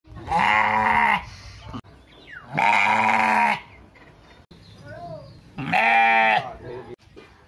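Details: A sheep in a village, one of three together, gives three loud, drawn-out bleats, each about a second long, with pauses between them.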